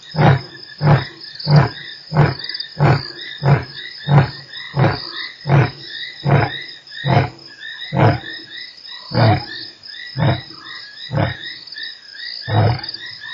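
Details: Closing part of a lion's roar recorded at Nkorho on 3 March: a quick series of short, deep, regular grunts, about three every two seconds, slowing and thinning toward the end, against a constant high frog or insect chorus.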